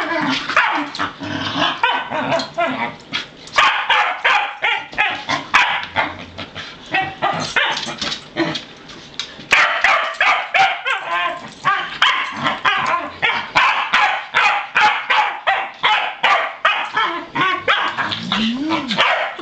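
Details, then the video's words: Pembroke Welsh Corgis, three playful unrelated males kept on a farm, let out of the house; long run of fast, excited barks nearly three per second, sharp and high-pitched, briefly pausing near the middle. "Time to Take the Corgi Dogs Out"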